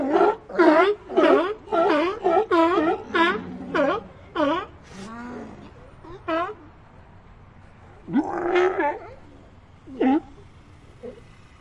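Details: Ambient sea lion sounds: a fast series of loud, ringing barks, about two per second, followed by lower moaning calls and a few scattered barks as the colony quietens.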